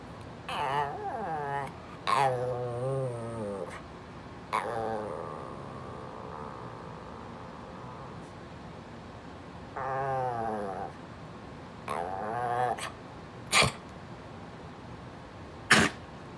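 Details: A vocal female Brussels Griffon named Pumpkin demands that her owner move over, producing a series of wobbling, moaning whines and grumbles at irregular intervals, mixed with a little human speech and a few sharp clicks near the end.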